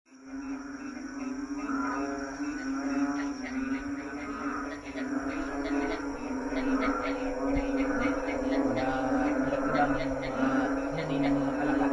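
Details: Frog chorus calling at night from a lawn: many overlapping low, throaty harmonic croaks in a steady drone, with faster pulsed bursts layered above and one brief louder knock near the middle.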